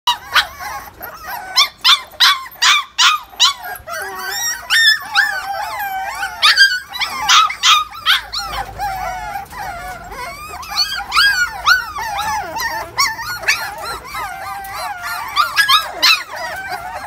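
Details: A litter of 43-day-old XL American Bully puppies from an imported bloodline: rapid rhythmic yelps for the first four seconds, then overlapping high, wavering whines and whimpers from several pups.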